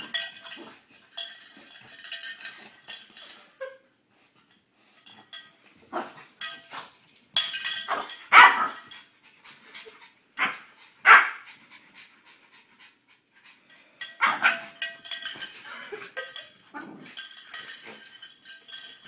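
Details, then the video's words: French Bulldog named Zeus going crazy for a cow bell, giving sharp barks and excited whining calls in bursts, with ringing clanks of the bell and quieter gaps between. "French bulldog goes nuts for cow bell"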